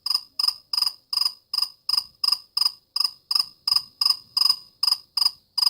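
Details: Cricket giving a steady run of loud, high, pulsed chirps, each a brief buzzy trill repeated roughly three times a second without pause.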